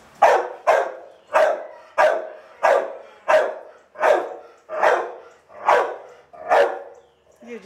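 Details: Chloe the dog gives a steady run of about ten hoarse barks, evenly spaced roughly every seven-tenths of a second, each one loud, abrupt and fading quickly, with a soft voice heard at the very end.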